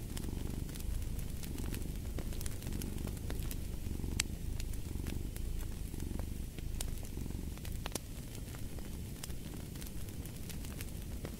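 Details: Low continuous cat purr, rough and rumbling, its rhythmic breath swells slightly less distinct, set against frequent crackling and snapping of a fireplace, made for deep sleep and stress relief.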